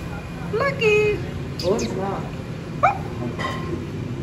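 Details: Shih Tzu named Lucky receiving its second vaccination during medical treatment; four short, high, whining yelps with bending pitch and bright overtones, the first drawn out and falling, over steady human speech and a low background hum.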